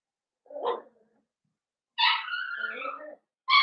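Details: Blenheim Cavalier King Charles Spaniel puppies, one of a litter of five born at New Year's, in an indoor puppy pen. A short whine, then a loud, wavering, high yelp lasting over a second, with another yelp starting at the end.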